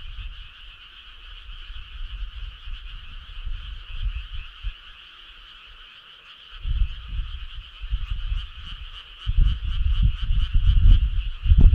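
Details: A chorus of frogs at night in summer, steady buzzy trilling that runs unbroken, with low rumbling noise coming and going and swelling toward the end.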